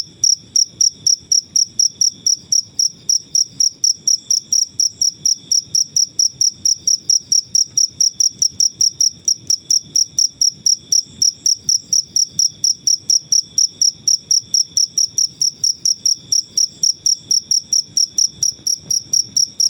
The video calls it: Suara jangkrik alam/Cricket Noises